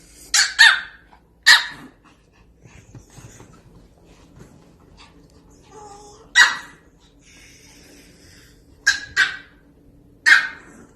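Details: A mini Pomeranian puppy barks in short bursts: a quick double bark, then single yaps and another pair, about seven sharp high barks in eleven seconds, with faint soft whines between them.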